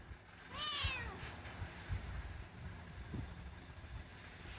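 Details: A single loud, bent meow from a rescued female stray kitten, sick with cat flu, on her first vet visit. The call rises then falls, followed by low rumbling room noise.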